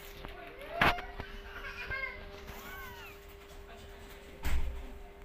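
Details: Kittens running into family members' feet give a few short, high mews, each arching up then down in pitch, clustered mid-recording between sharp thumps, over a steady background hum.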